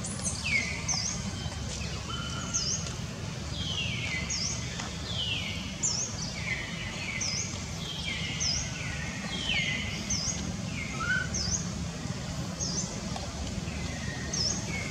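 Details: Young wild monkey named Jody at Angkor Wat, Cambodia, scared and calling again and again for its mother Jane after being taken for the first time. High, thin calls sweep downward, repeated about once a second, over a steady low rumble.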